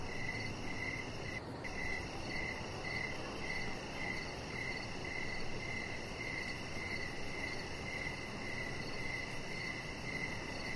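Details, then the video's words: Crickets chirping in the evening beside a deck with decoration lights: a steady run of short, high, ringing chirps, about thirteen in eleven seconds, over a low, constant outdoor hiss. "Chihuahua Puppy Laying On Deck with Cricket Sounds"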